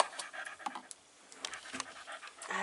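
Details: Five-week-old Staffordshire Bull Terrier puppies, recorded on 27 September 2020, panting softly in short breathy bursts, quiet, with faint rustling between breaths.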